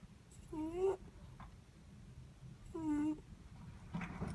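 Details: Two rising, nasal squeaks from a sleeping Netherland Dwarf rabbit, each under half a second and about two seconds apart, in a quiet room with low hum.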